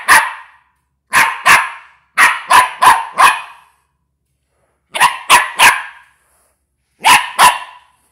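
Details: A West Highland White Terrier puppy barks at a box in sharp, high yapping bursts.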